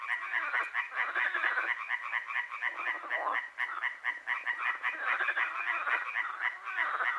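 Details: Night-long frog concert at Hłomcza, Sanok commune, Poland; many frogs give rapid, pulsing, rattled croaks that overlap into a continuous chorus, rising and dipping in loudness.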